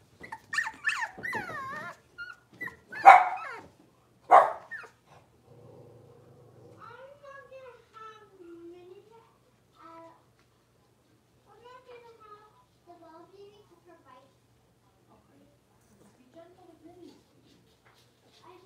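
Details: Indoor pen of five blenheim Cavalier King Charles Spaniel puppies aged six weeks: a few loud rasping yaps, then a long run of soft, thin, falling whines and small moans trailing off.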